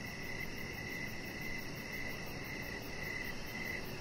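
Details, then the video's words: Outdoor evening chorus of crickets: bright, high chirps pulse in short trains several times a second, with slight gaps every half second, over a steady low hum of ambient noise. "Chihuahua Puppy Laying On Deck with Cricket Sounds"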